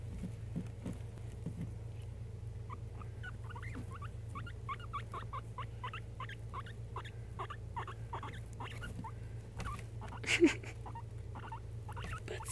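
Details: Guinea pig, a male pet, rolling under a hand during bedtime cuddles; a run of short rising chirps repeated rapidly for several seconds over a low steady hum, with a brief rustle near the end.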